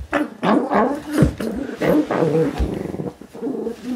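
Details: Pug named Moo Man, a pet dog, attacking his new toy guinea pig from Ikea; rough, throaty growling bursts, several quick pulses in a row with short gaps between them.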